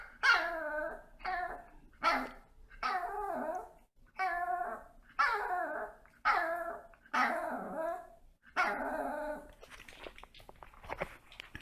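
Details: Pet dogs vocalising in front of treats: about nine loud, harmonic, wavering barks or howl-like yelps repeated about once a second, ending in a rustle of noise.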